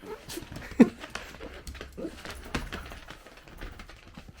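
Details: Miniature Dachshund kept as a family pet at home, said to be lonely and off its food; one short tonal yelp-like whine rings out early, then only soft indoor rustles and small knocks follow.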